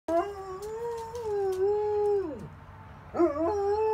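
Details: German Shepherd howling in response to sirens: a long, mid-pitched wavering howl that holds and then slides sharply downward, followed by a fresh howl that jumps up and steadies.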